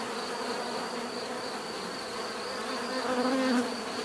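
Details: Bees buzzing naturally: a continuous swarm hum of overlapping drones, with one closer bee passing late in the recording, its louder droning tone swelling briefly before fading back into the steady background.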